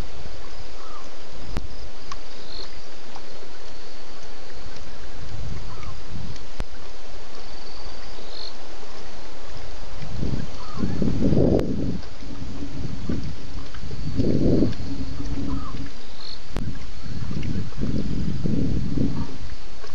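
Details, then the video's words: At least two lions roaring at Djuma waterhole at 1:30 a.m. on 11 November 2016, after drinking; deep, low grunting pulses come in a series roughly every two seconds in the second half, over steady hiss with faint high chirps. "One BB at Djuma waterhole with at last 2 Lions roaring after his drink"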